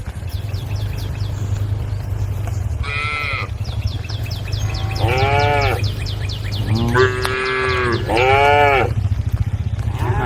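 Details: A group of tame cattle on a road give several drawn-out, wavering moos to call the herd over a steady low rumble.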